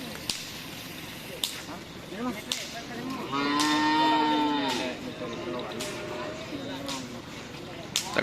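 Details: Madura cattle at a bustling karapan sapi practice ground in Asemanis, Pamekasan: one sustained, level moo lasting over a second, punctuated by sharp cracking snaps and a steady hum of crowd noise.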